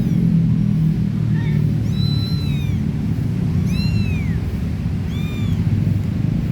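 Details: Stray cats, a mother with her three little kittens, during play: three thin, high meows, each rising then falling, spaced over a few seconds above a steady low rumbling background.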